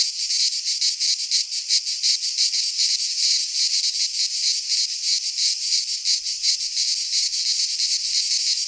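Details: Cicadas singing in midsummer in a Greek pine forest: a dense, rasping high-pitched buzz that throbs in rapid, slightly uneven pulses without pause, with no other clear sounds.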